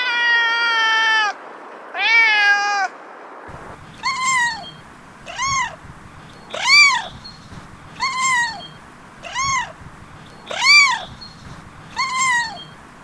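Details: Domestic cat meowing insistently: two long, drawn-out wavering meows, then seven shorter, clear arched meows spaced about every one and a half seconds, with faint room noise between calls.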